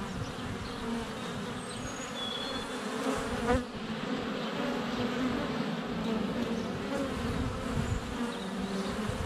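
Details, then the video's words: Many honey bees flying around the hive entrance in February sunshine, GoPro less than a foot away; continuous humming drone, with a sharp knock near the middle as a bee lands on the camera. "4K Honey Bees - ambient video and audio"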